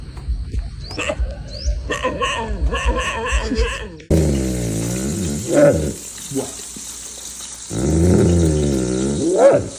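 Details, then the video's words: Pet dog named Moose, known for a weird, unusual bark. After people talk and laugh at first, it gives two long, low, wavering groaning vocalisations with moaning pitch swings and a rising whine at the end of each bout. "Moose, everyone thinks you have a weird bark."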